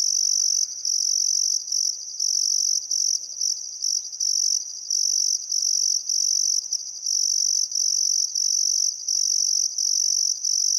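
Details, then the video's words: At Welford National Park on the Barcoo River in Outback Queensland, Australia, crickets chirp at sunset on a calm summer afternoon: a loud high-pitched pulsing trill in uneven bursts, with a brief faint bird call near the start. "Australian Sunset Chirping Crickets"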